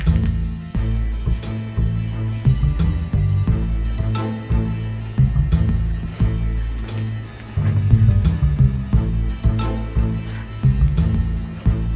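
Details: Upbeat instrumental music with a steady bass groove and plucked guitar fills plays throughout, with no animal sounds heard.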